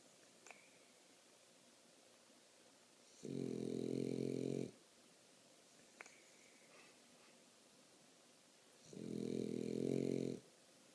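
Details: French Bulldog snoring, two long loud rasping snores around three and a half and nine seconds, each lasting over a second, with a low buzzy rattle and faint higher overtones, quiet breathing between them in a small indoor room.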